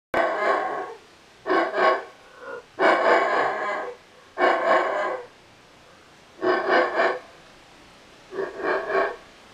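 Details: A male howler monkey gives deep, rasping roars in short bursts separated by brief pauses; only males howl, and dominant males' roars entice females to mate.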